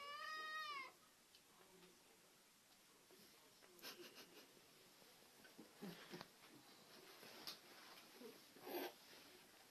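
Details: A short, clear cat meow opens the recording with a rising-then-falling tone. It is followed by several seconds of low room noise and scattered clicks and thumps.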